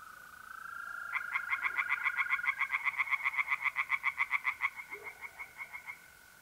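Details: On an April night at a pond in north-east Italy, tree frogs burst into a quick rattle of clipped, repeated pulses for about three and a half seconds, then fade. A continuous mole cricket trill carries on throughout.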